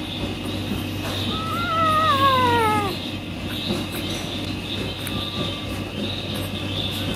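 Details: Newborn St. Bernard puppy giving a single thin, high whine that wavers and slides downward over about two seconds, followed later by a faint short squeak, over steady background hum and hiss.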